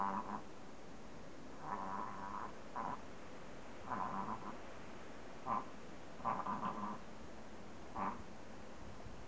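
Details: Reverse sneeze from a Chihuahua, heard as irregular short honking snorts, sometimes doubled or in quick triplets, separated by pauses of one to two seconds, with little else audible.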